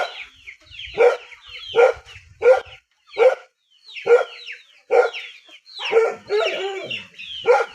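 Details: Dog in the countryside barking repeatedly, about one sharp bark per second, ending in a rougher, whining run of barks, with high chirping birds calling throughout.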